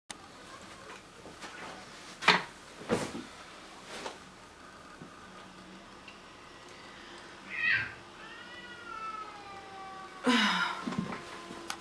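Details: Domestic cats crying indoors while getting up to no good upstairs; a few sharp thumps early on, then a drawn-out wavering meow around the middle and a louder, harsher cry near the end, in a quiet room.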